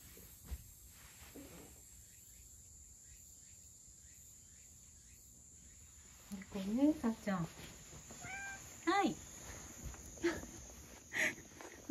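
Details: Male rescue cat, thought to be born in spring 2019, back from behind the house and praised during a spring walk with its grandmother; a few short harmonic meows after six seconds amid a woman's soft speech in a quiet setting.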